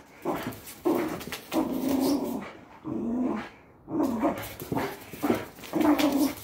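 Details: Patterdale Terrier growling during tug-of-war training play, rough throaty growls in bursts of about one second separated by short pauses, some rising into tense strained tones.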